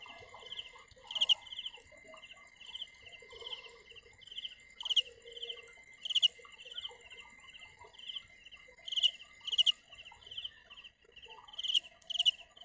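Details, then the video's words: High pulsed cricket chirps in runs, some louder bursts every second or two, a constant thin whine beneath and faint low scratchy sounds in the background. "Tiếng dế mèn gáy"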